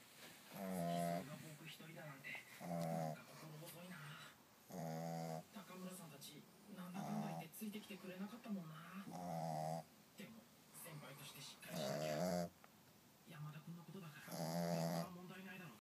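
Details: A Boston Terrier asleep at night snores in deep, buzzing rasps that come with each breath, roughly every two seconds.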